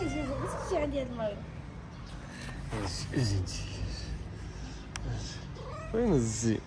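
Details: Moroccan stray ginger cat, female, playing and dancing with another cat on the street. Drawn-out wavering meows and caterwaul-like cries come in three bursts, opening, middle and end, over low traffic-like rumble and some speech.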